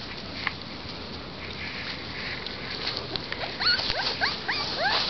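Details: Young sable Sheltie Corgi mix puppies, recorded 24 May 2010, give high, thin squeaking whimpers that bend up and down in quick bursts.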